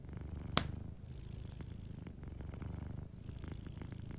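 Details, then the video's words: Cozy fireside purring from a sleeping cat: a low, even, throbbing rumble with breath-timed swells, punctuated by one sharp log pop early on and soft crackling afterwards. "Warm Fireplace Ambience with a Sleeping Cat 🐱💤Fireplace & Soft Purring"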